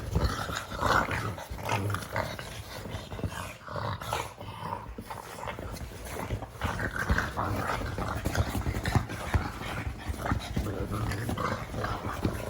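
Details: A pug making funny noises: low rumbling growls and snuffling grunts run through the whole stretch, with breathy bursts and some rustling in between.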